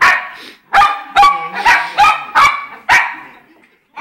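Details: A short burst of about seven loud barks from the pet poodles Jayme and Lendonn, a larger female and smaller male, spaced irregularly and trailing off into quiet.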